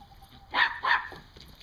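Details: Two rapid, loud barks from a dog chasing and herding squirrels on October 20, 2014, the second following the first within a third of a second, then a fading yip-like trail against quiet background hum.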